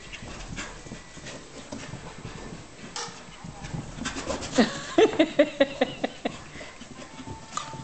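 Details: Pembroke Welsh Corgis at play, an adult coaxing a young female puppy into a chase; panting and rustling, then a quick series of short, sharp yips near the end, with a person's voice urging them on.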